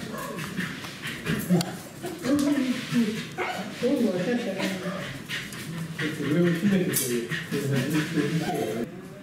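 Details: Welsh Corgi Roku at a cafe meetup on 6 October 2018, cheerful after being given many treats, whines and whimpers in short high nasal bursts, repeated through the stretch, over steady human chatter indoors.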